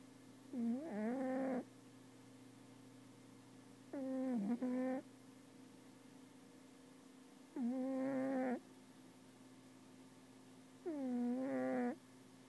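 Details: Sleeping cat snoring heavily indoors: four evenly spaced, harmonic, droning breaths, each lasting about a second, recurring roughly every three and a half seconds, with a constant low hum running underneath.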